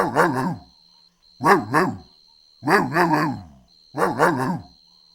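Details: Golden Retriever puppies playing outdoors on a green lawn; four short bursts of harmonic, yappy barks, each a cluster of two or three quick barks, spaced about a second and a half apart, over a steady thin high tone.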